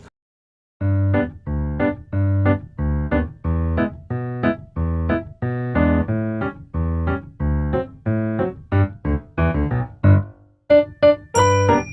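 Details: Electric piano music plays in repeated chords with short pauses, ending with a brief bright synthesizer tone.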